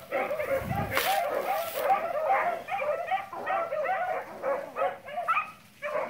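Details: Beagle pack pursuing cottontail and bluetail rabbits, a dense tangle of yelping voices from several hounds, with a brief rushing burst of noise near the start.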